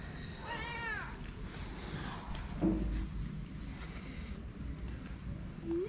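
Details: Homeless calico cats on a Moroccan street beg people for affection and food; one long arching meow rises and falls near the start, then a short low mew and a brief squeak later, over steady low rumbling traffic-like noise.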